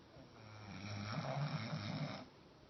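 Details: Dog named Roscoe, sleeping on his feet, lets out a single drawn-out snore lasting about two seconds, a deep raspy rumble that swells and then fades in a quiet room.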